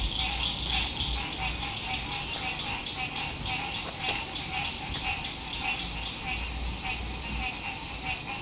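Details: Chorus of frogs at a lake at sunset, spring 2021, RV camping: steady rapid trilling that swells and eases slightly, and one or two high falling bird whistles near the middle.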